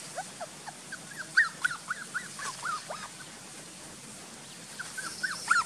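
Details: Frightened dog at a village barking, two dogs involved; a quick run of short, high, chirpy yelps repeated several times a second in two bursts, over an outdoor background hiss.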